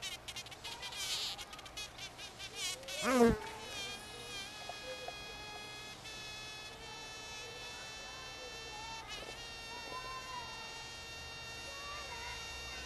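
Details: Bees filmed in Finistère, Brittany, in the far west of France: a steady buzzing hum with stacked, even overtones that sweeps and wavers as an insect passes close around three seconds, then settles into a continuous drone.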